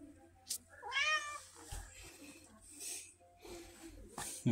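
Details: Pumpkin, a talkative red tabby house cat with a Siamese-like personality, utters a single rising-then-falling meow near the one-second mark over low room hum, with faint clicks and handling noises afterward.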